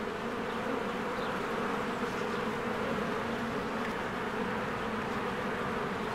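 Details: Many honeybees busy at their hive in spring among blooming flowers make a constant, layered buzzing drone. It is uniform in loudness and pitch from start to finish.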